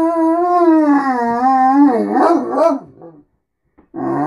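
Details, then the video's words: Morning talking from Beacon, a Great Dane begging for food and attention: a sustained, wavering howl that holds steady, then breaks into warbling, grumbling notes before falling silent and starting again. "Talking great dane"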